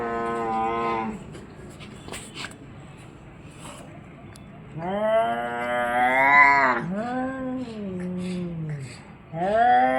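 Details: Orange and white cat giving four long drawn-out yowls, each rising then sliding down in pitch, the middle two loudest and longest, with brief soft clicks and rustles in the pauses.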